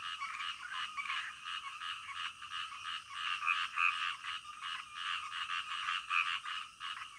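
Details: Frogs calling late at night: a steady, crowded chorus of short, scratchy croaks in quick uneven succession, with occasional sharper individual notes standing out above the continuous pulsing din.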